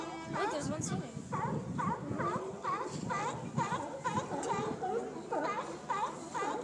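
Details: Sea lions in San Francisco, a chorus of hoarse, harmonic barks repeating roughly twice a second from several animals at once, overlapping in a steady rhythm, with a murmur of background noise beneath.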